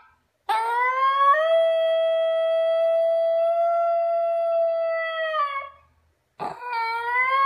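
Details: Female Basenji howling while playing with her owner: a long, steady, richly harmonic howl held about five seconds that dips and fades at the end, then a shorter rising call after a brief pause.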